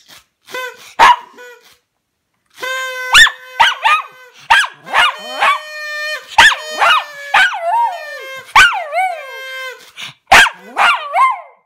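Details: Toby, a pet dog, sings: a series of drawn-out, wavering howls and yelps with rich harmonics, some held notes and sliding rising-falling tones, separated by short pauses and a few sharp clicks.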